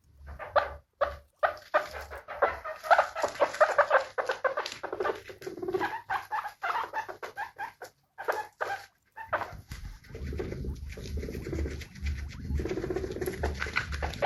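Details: Guinea pigs called happy give quick repeated squeaks in bursts, a pause near eight seconds, then softer, lower, blended calling to the end, over a steady low hum.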